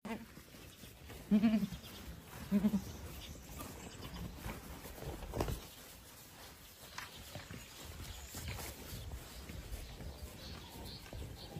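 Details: Boer goats; two loud, quavering bleats about a second apart early on, then quieter farmyard rustling and faint background noise.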